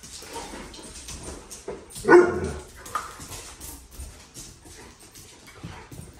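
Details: A dog at a dog park, with a single loud, short bark about two seconds in against a background of faint outdoor noise and distant voices.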